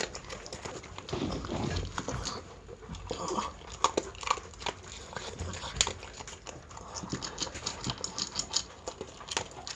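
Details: Miniature Pinscher eating dog food at mealtime: quiet, irregular crunching and clicking of kibble, with small smacking sounds scattered through, indoors.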